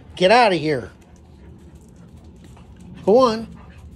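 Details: Deutsch Drahthaar puppy Gustl in his third week of bench training, indoors. Two arching, harmonic whining cries: a long wavering one near the start, then a shorter rising-falling one about three seconds later, with quiet room noise between.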